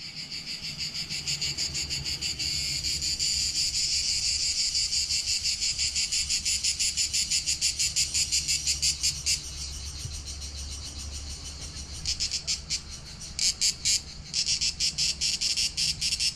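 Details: Cicadas singing in summer on Corfu Island, Greece, at Palaiokastritsa in July 2020, recorded with a GoPro Hero7 Black; a dense, high buzzing chorus that swells steadily, then breaks into pulsing bursts with short gaps.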